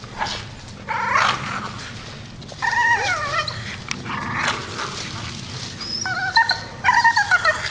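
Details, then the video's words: Grumpy Staffordshire Bull Terrier grumbling: drawn-out whiny moans that bend up and down in pitch, coming in several separate bursts with short pauses between them. "Funny Grumpy Staffy"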